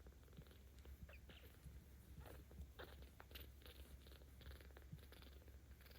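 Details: Baby cat Ao, 17 days old, in Tama City, Tokyo, recorded 10 October 2022, rumbling as it is petted: constant low purr beneath crackling, rubbing sounds from handling.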